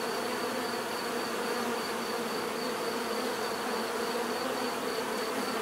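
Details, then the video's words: Bees produce an unbroken, steady buzz, many insects humming together in a dense mid-range drone that neither rises nor falls, a faint high tone beneath. "bees therapy relaxing natural buzzing sound"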